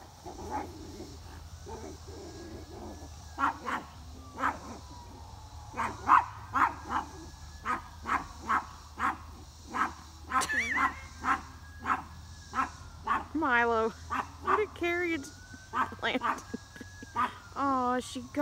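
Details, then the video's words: A dog named Milo yelling at a squirrel: a long run of sharp barks and yips roughly every half second to a second, some rising into whiny yelps toward the end, over a steady low hum. "Milo yells at a Squirrel"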